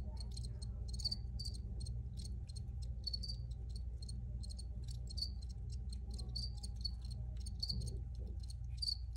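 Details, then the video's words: High, shrill chirping from several crickets, quick pulses and short trills layered irregularly, accompanied by a continuous low electrical-sounding hum. "Free Cricket Sounds"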